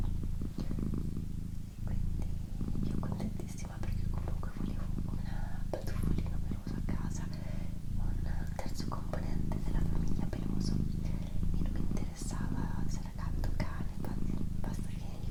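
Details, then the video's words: Indoors, a female house cat purrs continuously in a deep, even rumble that pulses with her breathing, while a person whispers quietly close by and light tapping and rustling sounds come and go. "ASMR Cat Purring & Whispering"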